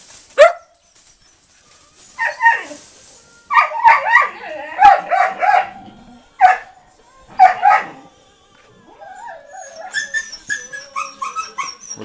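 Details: Rescued dogs at a shelter near Coin, Malaga, Spain: loud barks in clusters with short silent gaps, then a quieter stretch of fast, higher yips toward the end.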